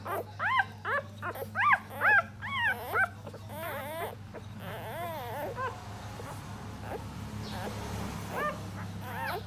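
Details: Four puppies suckling while the mother dog feeds and licks them clean; a quick burst of high, bent squeals and whines, dense and overlapping early, fading to occasional faint whimpers over a low steady hum.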